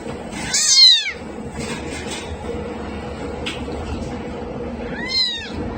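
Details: Cat or kitten giving two loud, rising-then-falling meows about four seconds apart over a steady hiss of background noise.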